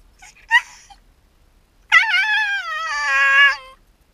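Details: Shiba Inu named Yamato, left alone at home while the owner steps out on a short errand, cries out: a brief yelp, then a long tonal wavering whine that holds steady and slowly falls, in a quiet room.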